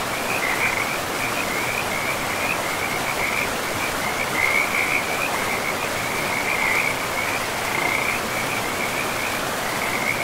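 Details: Frogs calling beside a river in a pristine forest of trees and moss-covered land; a near-continuous run of high, rattling croaks pulses throughout, layered over the steady broadband rush of flowing water.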